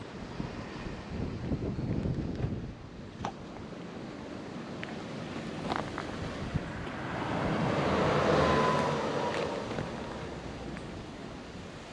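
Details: Gusting wind buffets the microphone, swelling to a louder surge near the end, with scattered clicks and no animal voices heard.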